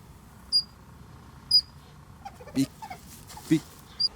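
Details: The youngest Eurasian otter pup, separated from its mother at a passage between reed marsh and stream, gives thin, high whistles about once a second, calling for her until she hears and they reunite.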